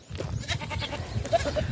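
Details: A goat kid about two weeks to 20 days old calls to its mother hidden in the grass, and she answers; they trade short bleats as contact calls and reunite, the kid wanting to nurse.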